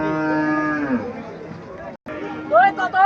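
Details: Cattle at a sale in Mirshanni, Comilla: a local desi cow offered with a Sahiwal bull calf. A loud, deep harmonic moo slides downward and fades, followed after a short break by higher, rising bawls with people talking.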